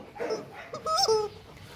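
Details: Male Rottweiler named Loki, about two and a half years old, at Gervi Kennel during play: brief high whimpering whines with rising and falling tones, with a human voice nearby.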